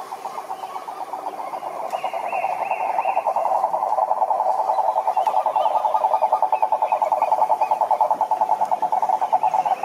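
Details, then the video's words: Dense toad chorus of overlapping pulsed croaks swelling in loudness toward the middle and staying strong, with a few faint bird notes higher up. "Som do Sapo Coaxando"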